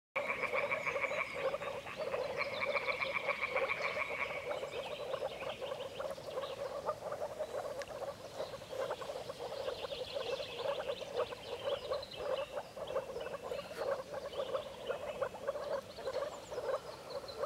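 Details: During the breeding season, moor frogs chorus with soft, bubbling, low calls, like air gurgling up through water.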